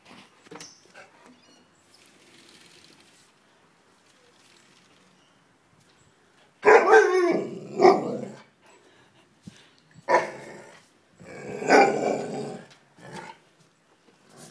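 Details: Alaskan Malamute, one year ten months old, indoors and unhappy about being filmed, gives two loud, harsh, drawn-out barking howls of about a second each, then a longer grumbling run, with quiet pauses between and a woman speaking softly.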